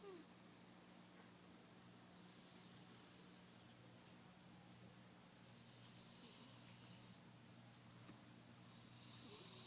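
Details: Mia, a pet cat, sleeping in her favourite box in a living room, snores softly; hissy breaths rise and fall about every two to three seconds over a steady low hum.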